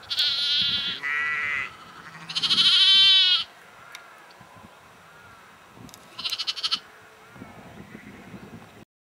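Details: Yorkshire sheep at Egton, North Riding of Yorkshire, in April; a string of loud, quavering bleats in the first few seconds, then a shorter bleat and softer distant calls.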